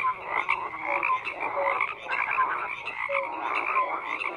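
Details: Croaking frogs fill the night air, a continuous wash of raspy pulses with short clear tonal notes popping out every second or so, many animals calling at once.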